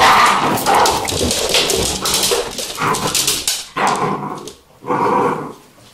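Vizsla puppies yelp and whimper in a busy, overlapping chorus of high, short cries.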